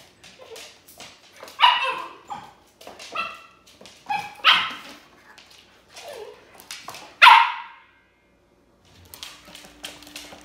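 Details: Thirteen-week-old Siberian Husky puppy, first day in a new home, makes scattered yips and short high barks with whiny tones, irregularly spaced, quieter gaps between bursts and a faint hum near the end.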